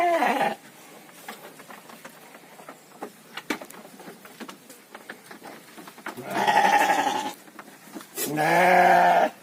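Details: Domestic sheep raised on a fattening farm, heard as the tail of one bleat, then a quiet stretch of scattered clicks and knocks, then two strong quavering bleats about two seconds apart.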